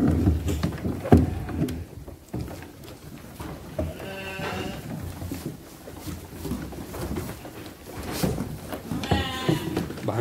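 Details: Young Garut sheep of five to six months, 18 to 23 kg, raised for qurban or aqiqah, bleating twice with a shaky, vibrato-laden voice, once near the middle and again near the end, over a steady low background hum.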